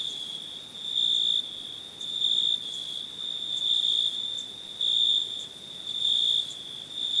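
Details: Cricket calling: a continuous high trill punctuated by louder chirp bursts roughly every second, each about a third of a second long, steady and insistent throughout.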